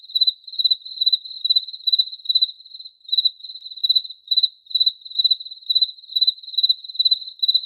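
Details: Steady cricket chirping: high-pitched bursts of fast pulses about twice a second, with one brief gap near the middle before the rhythm resumes.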